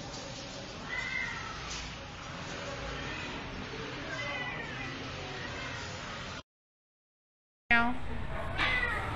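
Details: Rescued stray kitten taken from a public street, giving a few faint, drawn-out meows with bending harmonics over steady background noise and some voices, then a short gap and a brighter meow near the end.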